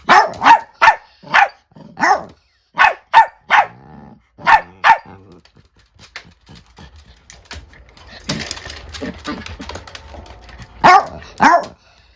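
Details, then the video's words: An angry female Chiweenie (Kaninchen dachshund × Chihuahua) facing off with an old dachshund at home: bursts of rapid high-pitched barks, a quieter growling, rustling pause, then more barking. "【犬の鳴き声】怒る犬 老犬VS成犬/ミニチュアダックスフンド/チワックス"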